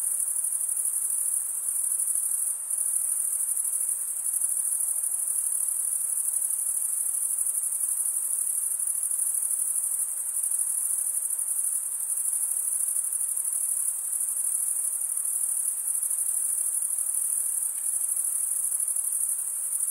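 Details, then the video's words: Cricket chorus, wing-rubbing chirps blending into one continuous high-pitched ringing drone that barely varies in loudness, with brief faint dips near the start and no other sounds. "cricket sound"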